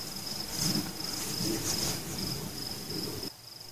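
A cricket sings a steady, high, continuous trill beneath the rumble and crackle of fireworks.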